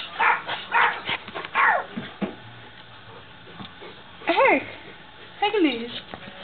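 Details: A dog barking at the camera: two sharp, rising-falling barks in the later half, preceded by a stretch of human speech and shuffling.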